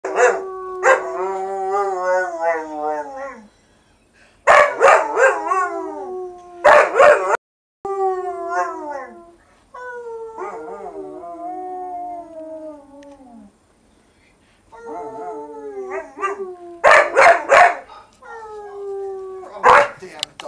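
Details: English Springer Spaniel. A puppy springer spaniel sings in drawn-out, quavering howls that waver and slide downward. Short, sharp yips and barks break in between the longer notes.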